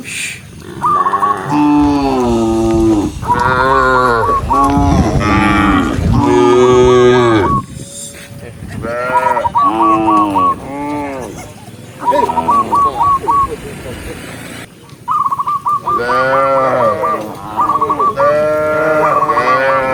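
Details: Cows herded out of their pen on a bright morning run down a green hill toward grass. Loud, deep harmonic moos overlap almost without pause, with rapid twittering bird notes between them.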